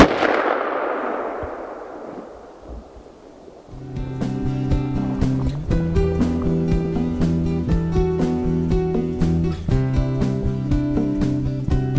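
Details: A loud bang fades into a hiss, then rhythmic music with repeated notes and percussion follows, and no animal sound.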